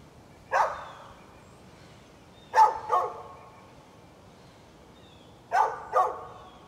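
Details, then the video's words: A neighbor's dog recorded on 13 November 2020 gives five sharp barks, a single one followed by two close pairs with long pauses between, against a quiet background. "Neighbor's barking dog"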